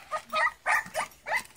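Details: English Springer Spaniel puppies eating mash indoors, producing a short series of four nasal squeals, roughly one every third of a second, each bending upward then falling, against a quiet room background.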